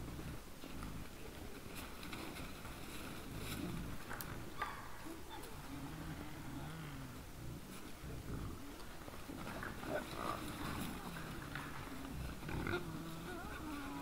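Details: Wild boars close in front of a Finnish deer camera on 17 December 2022 at 20:17, giving low, rumbling grunts and snorts in uneven bursts over steady background hiss.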